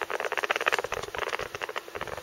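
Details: Pet rat making strange noises that worry its owner as a possible health symptom: a rapid, steady train of short clicking pulses, roughly ten per second, continuing throughout with no other clear sounds.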